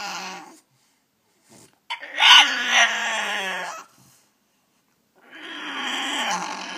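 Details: Speech-like complaining from a French Bulldog that wants out of its cage indoors: a brief whine, then a louder two-second wavering, talky moan, and after a pause another rising, drawn-out whine.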